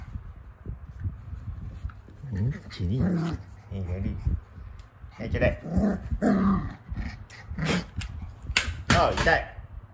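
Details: Female Kooikerhondje puppy Hana, born May 30, 2021, kept indoors in Japan, during morning shuttle run training: high squeaky whines and short growls rise and fall in bursts amid ongoing human speech.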